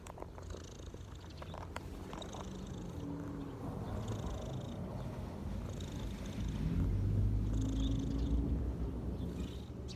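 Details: Relaxed cat on its owner's knees, purring loudly in an even, rapid pulsing rumble that swells toward the end. Small birds chirp faintly in the background.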